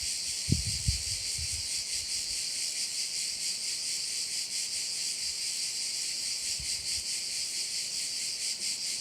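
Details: Crickets at a bay in Korčula keep up an even, high-pitched buzzing wash with a soft, irregular pulse, while a few low thuds and knocks sound near the start and again around six seconds.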